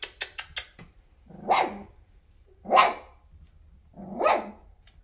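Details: Weimaraner puppy, 2.5 weeks old, chasing its mother to nurse: a few quick clicks, then three loud, drawn-out whining yelps spaced about a second and a half apart in a quiet room.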